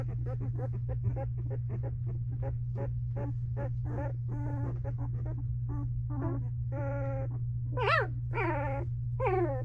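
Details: Misty's two-week-old Belgian Malinois puppies in a whelping box: quick series of short squeaks and grunts building into longer wavering whines and a few sharp rising-falling yelps near the end, over a low hum.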